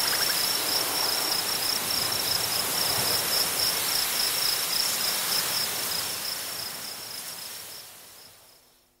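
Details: Crickets chirp in a steady, high-pitched stream of about four pulses a second on a prairie, half-buried under a roar of very strong wind through grasses that fades at the end; Upland Sandpiper calls are also in the recording.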